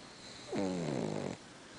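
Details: Sleeping pug twitching as it snores, giving a single drawn-out snore under one second long: a nasal, droning tone that dips slightly and holds steady with a fine rattling flutter, set against faint background hiss.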